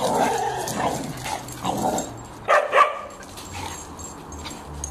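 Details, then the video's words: An Irish Terrier and a lurcher playing rough together: growling, grumbling vocal bursts in the first two seconds, then two sharper yelping barks near the middle before quieter scuffling. "Irish terrier and lurcher like to play ruff"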